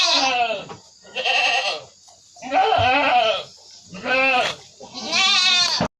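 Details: Flu-stricken, coughing goat being dosed with a homemade herbal remedy of ginger, kencur, turmeric and palm sugar: five loud, tremulous bleats, each under a second, spaced with short silences.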